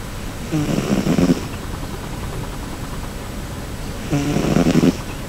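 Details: Cherry, a pet cat, snoring loudly while sleeping comfortably: two rough, rattling snore bursts about three and a half seconds apart, each lasting roughly a second, with quiet breathing between them.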